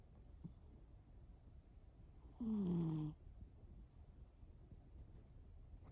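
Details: One drawn-out snore from Shimao the sleeping cat: a single buzzy, gently falling nasal tone lasting under a second, framed by quiet breathing and steady low background noise.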